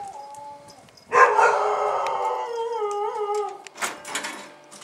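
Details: Bull Terrier puppies on their first outing in January 2015, one giving a long wavering whine-howl that holds for about two seconds after a short thin whimper, then fainter squeaks.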